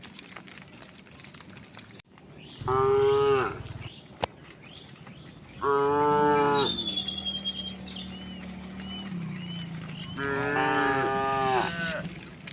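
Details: Tame herd of cows and oxen walking slowly toward wide green fields in the morning sun: three long, deep, harmonic moos, each about a second, spaced several seconds apart, with a thin descending whistle in between and faint countryside background.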